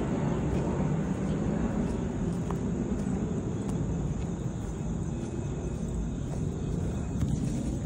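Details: Steady low outdoor rumble, like a passing aircraft or distant traffic, with faint clicks and no animal sounds.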